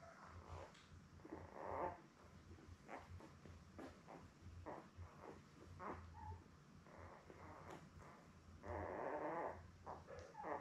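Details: Labrador Retriever puppies, seven born May 24, 2021, resting with mother Belle indoors: soft snuffling grunts and brief whiny squeaks, a longer drawn-out whimper near the end, low electrical hum throughout.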